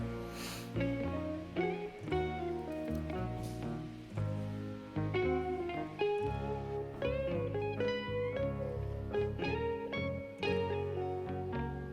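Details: Plucked acoustic guitar music with strummed chords and a picked melody, and no animal sound.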